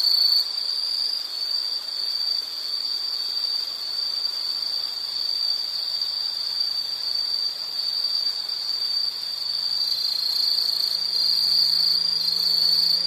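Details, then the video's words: Steady high, piercing insect trilling with a rapid pulsing texture, plus a faint low hum drifting in during the second half, used as a calming background sound. "Sound · Nature Sound of nature sounds scenery L · insect"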